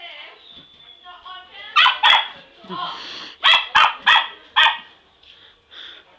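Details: Hurley the English Cocker Spaniel at home, enthusiastic over Christmas balloons; soft whines give way to two sharp barks, then a quick cluster of four more high, clipped barks before fading.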